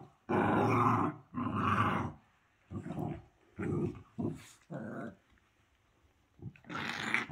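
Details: Dog growling in short rough bursts, each about a second long, repeated with brief pauses, the later growls quieter and a louder one at the end.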